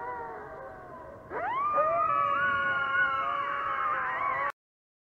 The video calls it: aullidos de coyote